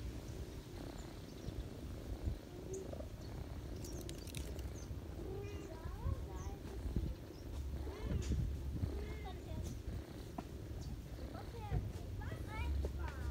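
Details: Purring of a ginger mother cat nursing kittens on someone's knees in autumn, a continuous deep rumble under thin, high, curving squeaks that come and go throughout.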